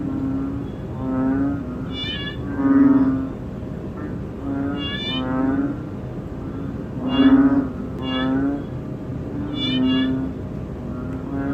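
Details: Bullfrog (Ễnh ương) calling, shown in close-up: nasal, bleating calls repeat every one and a half to two seconds, some louder and rougher than others, over a steady low hum.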